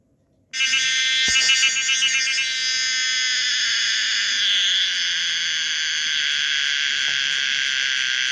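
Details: Common cicada Pomponia linearis starting abruptly after a brief silence into a loud, continuous shrill buzz, rich in high overtones, with a pulsing warble early on before settling into a steady, even drone.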